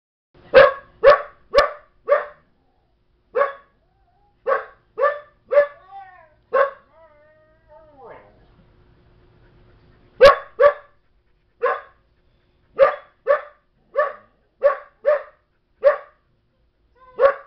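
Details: Young female Belgian Malinois barking while another dog, Chobi, offers calming signals; sharp, loud barks come in quick bursts, with a brief whine and quieter pause midway before the barking resumes in a steady series.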